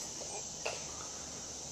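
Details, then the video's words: A big cicada on a porch, provoked with a stick, keeps up a continuous shrill, even drone, with a faint voice and a soft click underneath. "The Screaming Cicada"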